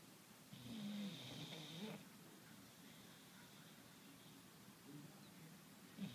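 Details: English bulldog snoring: one long, rasping, nasal snore with a whistling edge rises early, followed by quieter wheezy breathing and a short snort at the end.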